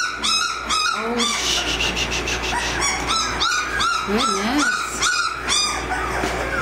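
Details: American Mastiff puppies, 18 days old, squealing in a rapid, overlapping run of high, squeaky whines and yips, each rising then falling, with several pups calling at once over a steady low hum.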